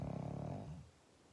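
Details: End of a pug's snore: a fluttering, low buzzy rumble that fades out after under a second, followed by near silence in a quiet room.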